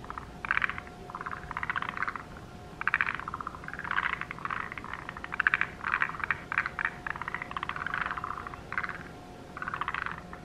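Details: A forest green tree frog at a highland wetland pond in the subalpine zone calls in quick, throaty, rattling, clucking bursts, each under a second, in irregular runs about a second apart, over a faint steady hum.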